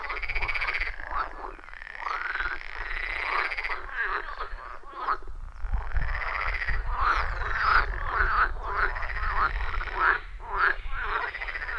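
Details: Dense frog chorus at a wild pond deep in the forest, recorded on iPhone 14 Pro with Shure MV88+; continuous buzzing, rattled croaks with rising, swooping notes, many voices overlapping, low rumble underneath.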